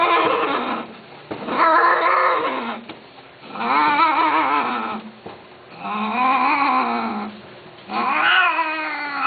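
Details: Cats from an Arabic pet-keeping forum give four long, wavering, yowling meows, each one to two seconds long. Pitch bends up and down within each call, with roughly a second of quieter background between calls.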